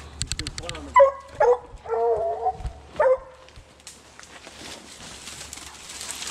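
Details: Young Redbone Coonhounds, a male and a female, barking on a 2020 coon hunt; a brief voice opens, then a cluster of loud barks and a short wavering bay before the sound fades into background noise.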